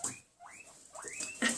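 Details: Guinea pigs kept indoors give high, rising whistled squeaks, excited by rustling nearby and probably expecting another treat.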